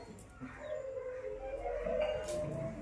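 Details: Black puppy, one of the street dogs, that shows affection to its caretaker and comes to sleep on his feet. It gives a steady, drawn-out whine that wavers slightly in pitch for about two seconds, with faint outdoor background noise.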